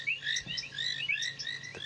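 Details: Painted reed frogs at a dam on a sunset safari on 23 February 2017, after rain, give short, high, piercing ticks and chirps that overlap in quick succession, with other frog species also calling.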